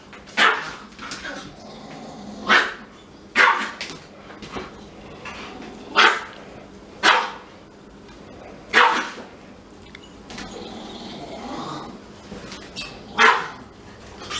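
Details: Frustrated Siberian Husky held back from smelling a Pomeranian, crying indoors; irregular series of abrupt, bright yelping barks, some closely doubled, with soft voices between them.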